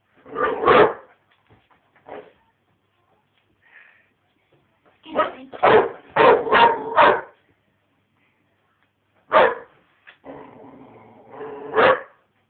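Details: Five-and-a-half-month-old American Bulldog Kassy, a young female, barking at her teddy: clusters of sharp barks, a fast run of five around the middle, then single barks and a drawn-out growly whine-bark near the end.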